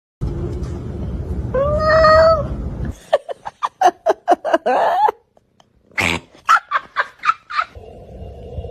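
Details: Domestic cat in a funny compilation: a noisy rumbling start, a drawn-out rising-falling meow, then a burst of rapid short chirpy pulses and a second series of quick clipped calls.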